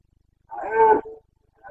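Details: Rutting Carpathian stag in the Bucovina mountains, Romania, breeding season, 29 September 2022: one strong roughly 0.7-second bellow that falls off into a brief fading groan, followed by the onset of another call.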